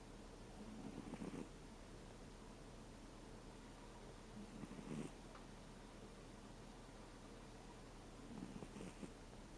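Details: Thirteen-year-old American Shorthair cat snoring in its sleep, sound changing from 'guu' to 'puu': three faint, low, breathy snores spaced roughly every four seconds against a quiet, hissing background.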